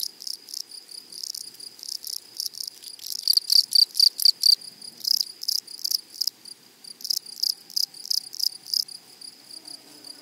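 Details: Grasshoppers stridulating in a flowery prairie meadow: loud rasping chirps arrive in irregular runs, swelling around the middle and again near the close, over a faint continuous high whine.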